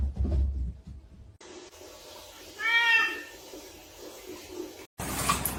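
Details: Domestic cat indoors in a small room giving a single clear meow of about half a second, tonal with rich harmonics, bending up then down. A quiet room hum surrounds it, with a sharp cut and burst of noise at the end.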